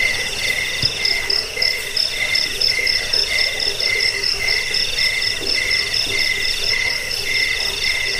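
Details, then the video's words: Jangkrik, the cricket, chirping to chase away rats, ease sleep and train birds; regular high pulsed chirps about twice a second layered over a continuous insect chorus. "Suara jangkik pengusir tikus pengantar tidur"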